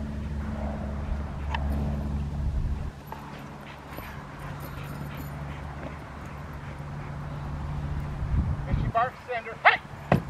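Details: Foofy, a 13-month-old female Rottweiler in protection training for ZTP and IGP1, April 10, 2021: a burst of sharp barks near the end, over a steady low engine hum and people talking.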